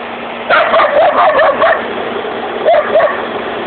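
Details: Border collie running on a walk: a string of quick, wavering, mid-pitched yips and whines over steady rushing background noise, then two more short yelps near the end.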